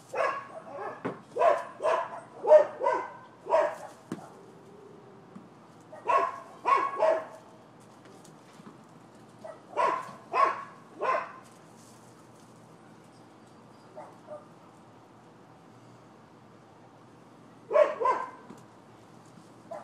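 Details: Nuisance barking by neighbors' dogs, Florida, 12/7/15. A rapid volley of loud barks opens, then barks come in clusters of two or three separated by silences, with a final double bark.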